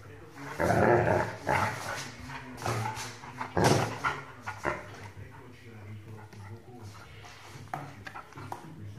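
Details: Rhodesian Ridgeback puppy, 8 months old, barking indoors: several loud, harsh barks in the first four seconds, then quieter sounds, with a person speaking Dutch in the background.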